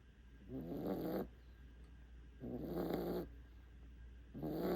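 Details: Five-month-old puppy snoring in deep sleep after a walk: three rough, rumbling snore breaths, each under a second long, repeating about every two seconds, with quiet pauses between and a low steady hum beneath.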